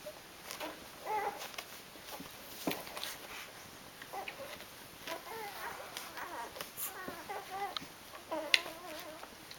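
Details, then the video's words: Eight-day-old Rhodesian Ridgeback puppies, a litter of five, make thin wavering squeals over background hiss, scattered early and then gathering into longer quavering cries in the second half, mixed with small thumps and rustles. "Rhodesian Ridgeback Puppies Day 8"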